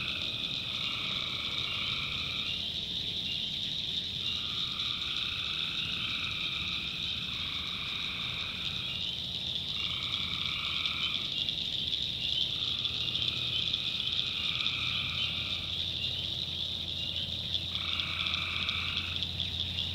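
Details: Night sounds from a North Carolina swamp: tree frogs produce separated, second-long droning trills every couple of seconds, set against a continuous shrill insect hum and faint low rumble.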